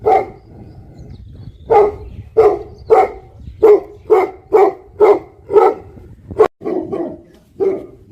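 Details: A barking livestock guardian dog of the Tibetan Mastiff breed, called Bhote Kukur in Nepal. Loud single woofs come in a steady series about twice a second, then a few closer, harsher barks.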